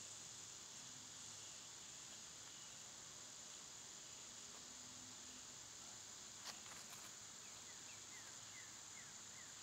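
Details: A dense, even whine of cicadas fills a summer day. Near the middle comes one sharp click, then a bird gives a short series of faint descending chirps.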